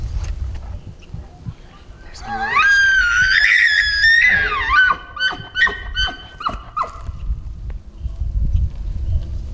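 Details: Screaming bull elk bugling at 40 yards in September while being bow hunted: a high whistled bugle rises and wavers for over two seconds, followed by a run of short, choppy grunting chuckles.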